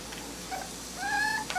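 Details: A litter of smooth-coat Miniature Dachshund puppies in Colorado. A short, soft squeak comes first, then a longer, steady, tonal whine that ends with a brief clipped note. The room is otherwise quiet.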